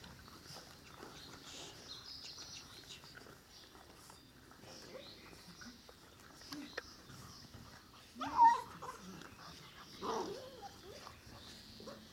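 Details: Ca de Bou puppies from the litter of Ivi and Tito: a quiet stretch of faint high squeaks, then a sharp whimpering yelp near the eighth second and a second, softer whine two seconds later, indoors.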